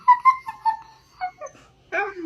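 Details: Husky scolded for eating chicken wings out of the trash can: a run of high, thin whimpering whines in short steady notes, followed by a few softer yips and a lower, hoarse drawn-out whine.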